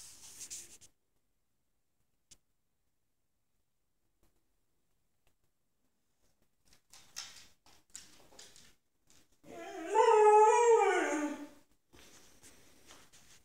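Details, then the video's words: Unhappy pit bull puppy Moose, ten months old, lets out a single drawn-out howl indoors after long quiet with a few soft bumps; the cry swells, bends upward then falls, lasting about two seconds before fading into faint room noise. "Moose the pitbull puppy sings the blues."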